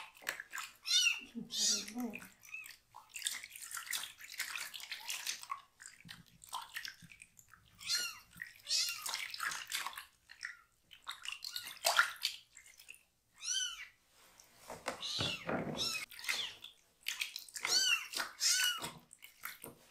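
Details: Foster kitten getting its rear end washed, crying in a loud voice; overlapping, repeated arched meows mixed with splashing water and bathing noises in a small room, dense and continuous throughout.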